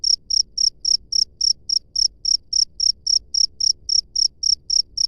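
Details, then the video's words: Out in nature, a cricket sings clear, sharp, high chirps in a regular pulse of roughly three to four per second, with quiet low murmur behind. "SUARA JANGKRIK LANGSUNG DARI ALAM BEBAS"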